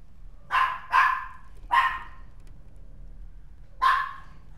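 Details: A white-and-tan mixed-breed dog lets out four sharp barks: two in fast succession, a third shortly after, then a final bark following a pause of about two seconds.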